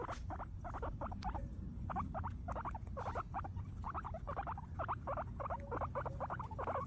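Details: Happy guinea pigs munching grass keep up dense, rapid squeaky chirps, bunched and overlapping, over a low rumbling background.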